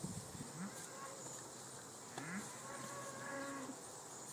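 Belted Galloway cattle give short, low moos that rise slightly in pitch, three times over four seconds, against a steady outdoor hiss and faint insect buzz.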